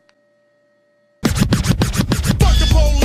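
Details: About a second of near silence with a faint steady hum, then loud hip hop music with rhythmic scratching and heavy bass beats.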